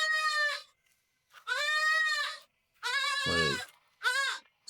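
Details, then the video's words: Goats on a building site in the Philippines, two that follow a woman around like dogs, give four loud, wavering, nasal "crying" bleats, each under a second, with short pauses between. "O mój Boże, słyszysz ten dźwięk? Płaczące kozy."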